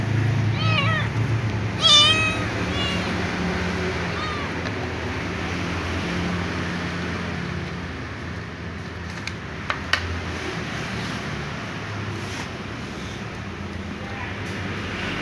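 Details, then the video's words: Little ginger cat meowing and whining for dry food: a quick run of harmonic, wavering meows in the first three seconds, then only a steady low hum with a few faint clicks. "The little ginger cat meows and whines for something, namely dry food"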